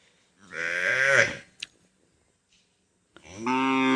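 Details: Cow giving two loud, harmonic moos: a strained, wavering bellow about a second long, a pause with a brief click, then a second steadier moo starting near the end.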